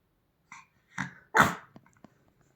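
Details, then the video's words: Pomeranian Bonnie "El Chupo", resting indoors on a sofa, reacts to a strange sound with three short gruff bark-like bursts that grow louder, the last one strongest, then falls quiet. "Pomeranian Bonnie "El Chupo" resting on a sofa hears a strange sound"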